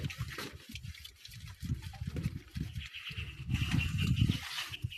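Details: Domestic farm pigs roaming freely outside their pen; low, rapid grunting pulses in an irregular run, roughly three per second, with a louder stretch near the end and faint rustling and hissing background noise.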